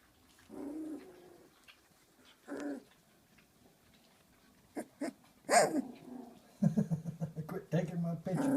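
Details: A 19-day-old female Doberman puppy, just after her first dinner, gives short, low grumbling growls, guarding her bed from the camera. A person talks afterward.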